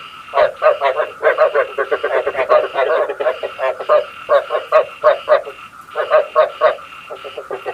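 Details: Frog lure sound for night traps, where short groups of rasping croaks come in uneven clusters, some bursts loud and close, with brief gaps between them.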